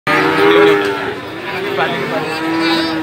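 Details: Male calves at the Gorang Gareng cattle market in Magetan, East Java, Indonesia, 24 February 2019: a short, level, droning moo near the start, then a fainter one at the end, over market chatter and people's voices.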